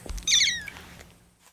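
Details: Kitten Lucy, rescued 25 days earlier, gives a wavering, bird-like cry while waiting for cooling milk. A single brief, very high call that trembles slightly and then slides down, with a soft thump just before it.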